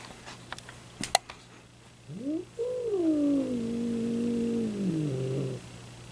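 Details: Domestic cat making noises described as funny hissing: after a couple of taps, a rising whine turns into a long, sustained, slowly sinking yowl lasting about three seconds, ending in a lower wavering tone.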